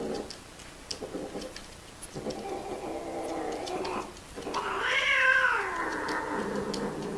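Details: Cats caught during mating: low grumbling moans build into a loud, rising-then-falling wail near the end, with faint tapping clicks behind.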